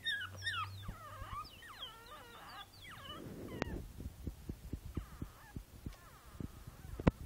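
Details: Five-week-old Boston Terrier puppy Princess Izzy, in a basket on 12/4/2011, makes several thin, bending whimpers over a low hum. Soft clicks, handling taps and a few faint whines follow.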